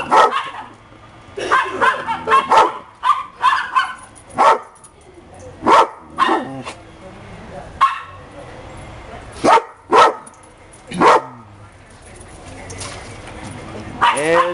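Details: Dogs, called happy pups, giving clusters of quick barks, then more scattered single barks, with a rising whine near the end.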